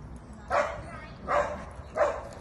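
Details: Black Schnauzer puppies at a puppy meeting of the vom Salmbachtal kennel, 10 July 2022: three short, high yapping barks spaced roughly 0.7 seconds apart over light background noise.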